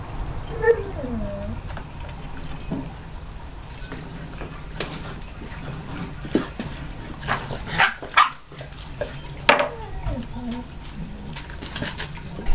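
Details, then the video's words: Bearded Collie puppies at play between a sandbox and a pool, giving a few short yips and barks scattered through the clip, with a high whining call early on, amid rustling, splashing and a voice. "Bearded Collie Welpen beim Spiel"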